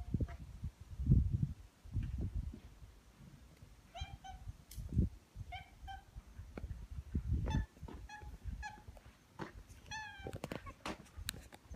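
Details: Kinta, a former street boss cat met in town in 2014 and taken in during 2020, living with FIV-related throat inflammation, gives short harmonic chirping mews in runs, some paired, against heavy low thumping and rustling indoors.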